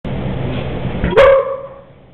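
A single loud dog bark cuts in abruptly, full and slightly tonal, then fades quickly. Before it, only a steady low background hum or rumble is heard.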